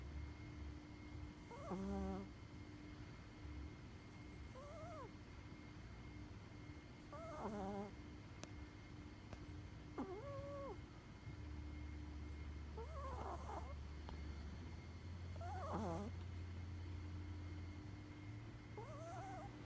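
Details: A Chihuahua named Koko, with a very short muzzle, asleep and snoring: rhythmic wheezy, whistling breaths with faint tonal squeaks every two to three seconds, over a steady low hum.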